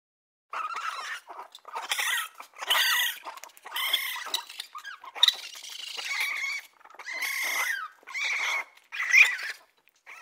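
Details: Raccoon making high, squeaky whining calls in separate bursts about a second long, some sliding up or down in pitch, with short silent gaps between them.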